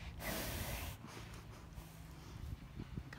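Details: Friesian horse sniffing right up against the camera, expecting a snack: a loud, breathy rush of air lasting about a second, then quieter snuffling breaths over a low rumble of handling noise.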